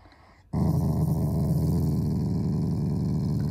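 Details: Affectionate Shiba Inu, a loving family pet, growls without any anger. After half a second of near silence a deep, buzzing growl starts abruptly and rumbles on steadily with rapid pulses to the end.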